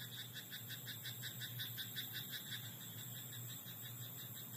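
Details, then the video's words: Frogs croaking in a rice paddy at night: quick pulsed calls repeated steadily, close to three per second, over a constant low hum and a thin, unbroken high whine. "田んぼのカエル "Croaking frog in rice paddy at night""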